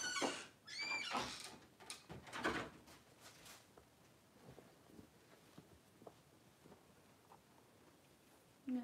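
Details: Cavalier King Charles Spaniel litter indoors as Daisy gives birth to six puppies in two hours: two or three short, high, squeaky cries in the first second and a half, then near silence with faint rustling and a soft click.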